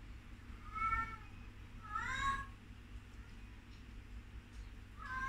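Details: Young sugar glider making three brief, wavering squeaks about a second apart, each a bent, harmonic-rich chirp, against a quiet background with a low constant hum.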